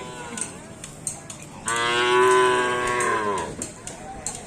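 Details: Cattle at a Karapan Sapi bull race on Sapudi Island give a single loud, drawn-out moo. It is rich in harmonics, swells for about two seconds and then fades. Faint clicks and background chatter are heard around it.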